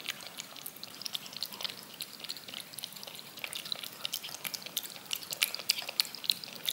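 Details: Rapid licking from a cat eating yogurt off a spoon, heard up close: around three wet clicks a second in a loose, uneven rhythm, with a few bright sticky smacks near the end and a calm indoor hush.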